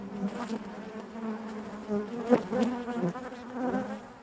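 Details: A steady low hum from a honey bee colony inside the hive, layered buzzing with a few short louder whirs from individual bees.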